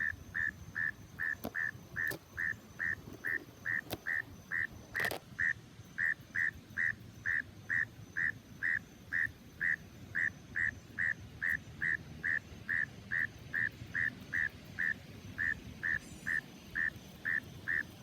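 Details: A frog hidden in the grass calling: a long, evenly spaced series of short, sharp clicking croaks, roughly two per second, with a few faint clicks and knocks in the background.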